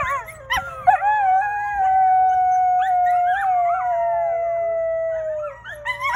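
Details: Coyote (Canis latrans), howl.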